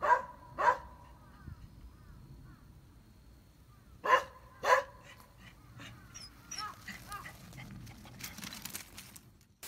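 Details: A Beagle named Gonta, kept as a pet on Amami Oshima while playing with a glass sponge, gives two pairs of short, clear barks several seconds apart, followed by softer rustling and handling noises.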